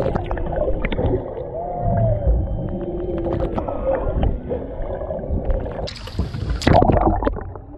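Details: Underwater off Maui, Hawaii, a humpback mother and calf swim near a boat, a male in the background, captured by a GoPro Hero 7 Black; a smooth arched moan early on, faint tonal notes, then a loud splashing burst.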